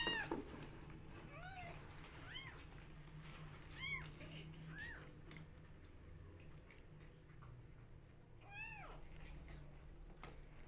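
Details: Several bright, arching kitten meows come at irregular intervals from rescue kittens fighting over bottle feeding, some quick and clipped, others longer and falling, over a constant low hum.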